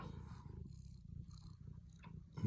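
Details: Domestic cat purring while being cuddled indoors: a steady, low, rumbling purr with an even pulsing rhythm throughout, quiet, with no other clear sounds.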